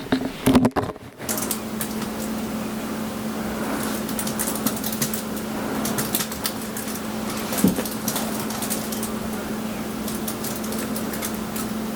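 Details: Steady low electrical hum and hiss throughout, with a few clicks and knocks near the start and one brief tap later, and no animal sound.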